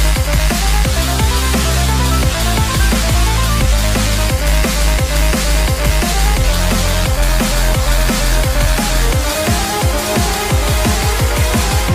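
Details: Loud drum and bass electronic music with a heavy, driving beat and dense bass runs throughout, no animal voice standing out.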